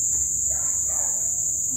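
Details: After days of plentiful rain, a dense cricket chorus at dusk forms a continuous piercing high-pitched drone without pauses; soft, indistinct human speech murmurs in the background.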